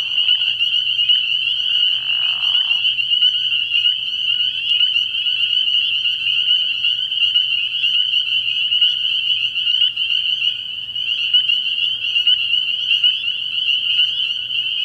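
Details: Spring peepers calling at night from a frog pond early in the year: a dense, unbroken chorus of high, shrill peeps merging into a steady ringing band, with a brief lower rasping sound near the second second.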